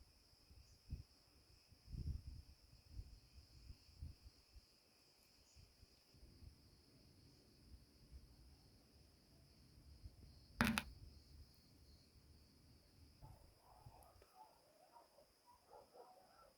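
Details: Cicada cretensis singing after sunset in an olive grove on a hot 34C evening, heard as a steady, unbroken high buzzing drone beneath crunching footsteps and rustling, with one sharp click partway through.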